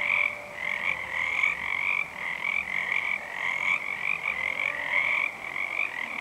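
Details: Many unseen Pacific tree frogs chorus on a full moon night, February 2011. Raspy high croaks overlap in quick succession, swelling and dipping slightly, with no other sounds standing out.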